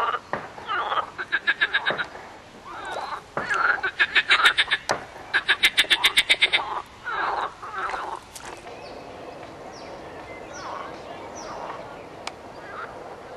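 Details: Frog chorus of fast, regular pulse trains, each rattle lasting under a second and repeated again and again, loudest early on, then fading into softer scattered croaks.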